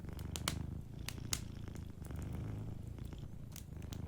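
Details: Soft, continuous low purr from a sleeping cat, pulsing in slow breath-length waves, with several bright snapping crackles from a nearby fireplace in the first seconds.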